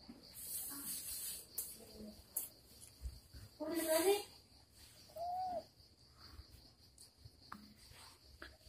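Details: Domestic cat indoors in a home where the cat Moa receives an uninvited guest. Two meows: a longer wavering harmonic one with a louder onset, then a short arched meow a second later. Faint human voices and a steady high electrical whine.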